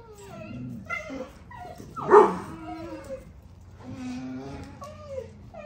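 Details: Male puppy, the last one left, spending time with its father: a string of thin, wavering whines and whimpers that slide up and down, broken by one sharp, loud yelp midway, with faint talking behind.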